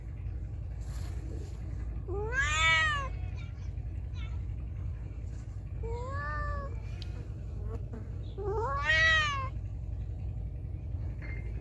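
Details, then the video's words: Feral cat meowing loudly, three clear meows spaced roughly three seconds apart, each rising then falling in an arched shape, the first and last louder and longer, with a steady low hum and faint clicks behind. "Cat Meowing Loudly| Meowing Sound Effect Of Feral Cat"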